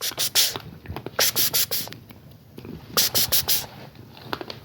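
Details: Bursts of hissy scratching and scraping come in irregular clusters over a steady high whine, with no animal voice.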